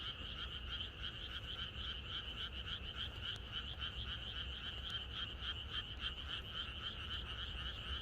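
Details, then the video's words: Frogs chorusing in the countryside on the night before rain: a dense, unbroken wall of rapid pulsed croaks in two bright bands, several callers overlapping, with a steady low rumble beneath. "비가 오려나?이것이 자연의 소리 ~개구리들의 합창"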